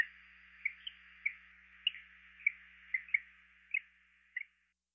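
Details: A greenhouse frog (Eleutherodactylus planorostris) gives soft, high chirps in a loose series, roughly two every second.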